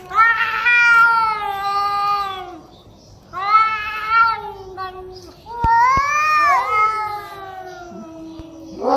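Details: Cats growling and meowing very loudly in anger at each other: three strained, harmonic yowls in succession, each wavering and bending in pitch, with brief pauses between and a few sharp taps.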